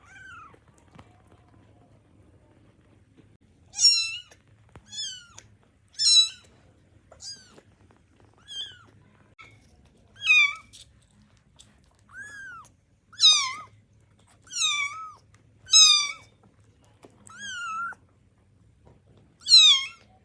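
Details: Tiny baby kittens waking up hungry, wanting their milk; a run of high, thin mews, each bending up then down, repeated roughly every second or so, several overlapping callers, very quiet background.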